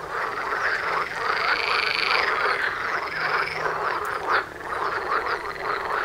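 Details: Frog chorus right outside a front door, many frogs croaking together in a dense, continuous rattling din with overlapping harmonic croaks and no pauses; a brief louder burst near the four-second mark.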